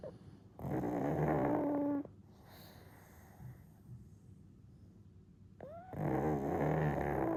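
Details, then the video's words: One-year-old pug snoring during a daytime nap, dozing off again after waking; loud buzzy rattling snore bursts about a second long, separated by a quiet breathing pause. "Pug Snoring & Sleeping Again"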